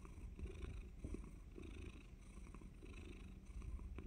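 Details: Pet cat purring ahead of a surprise bite, a continuous low throbbing rumble under a fairly loud background hiss.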